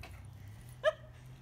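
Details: Labrador Retriever Sarabi, a female dog recently taken in, excited during off-leash obedience training on her drop-off day, gives one short, sharp, high yelp with a bright ringing tone, then quiet room noise.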